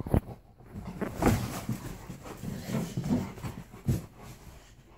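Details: Playful Alaskan Malamute in a small room, taunting a pit bull over a toy; throaty, rumbling growl-grumbles rise and fall in uneven bursts for five seconds, with snorts between.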